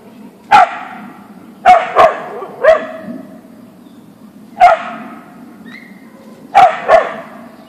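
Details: In a backyard, a Siberian Husky (Ausky) confronts a deer with seven loud, abrupt barks, some doubled in rapid succession, others spaced by pauses of one to two seconds, each trailing off in a brief echo.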